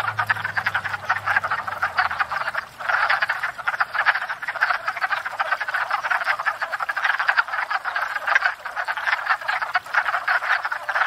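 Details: Wood frogs thawed out in spring and gathered at a pond to court and breed, calling together: an unbroken dense chorus of rapid rattling, duck-like croaks, with a faint low hum fading early.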